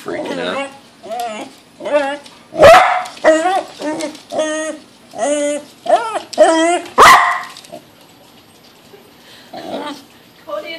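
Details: Pembroke Welsh Corgi named Lakota, a pet dog indoors, freaking out at a balloon she dislikes: a run of sharp, high-pitched harmonic barks and yips repeated about every half second, then quieter, with people's voices in between.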